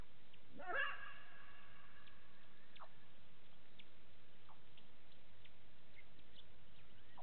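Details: Side-striped jackal calling at 02:27 on 15 September 2018 near a waterhole at Gowrie dam, Djuma Game Reserve, Sabi Sand, South Africa, via a live camera: one short, rising, harmonic yelp early on, then faint scattered chirps over a steady hiss.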